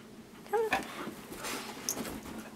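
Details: Pet huskies indoors being teased with treats; one gives a short, high, nasal whine that bends up then down, followed by a thin squeak and soft shuffling room noise.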